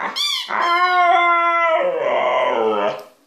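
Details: Pet dog vocalizing indoors in a drawn-out, talking-like way: a sharp yip, then a sustained harmonic howl that holds level and then sags and wavers lower before ending, about three seconds of continuous voice.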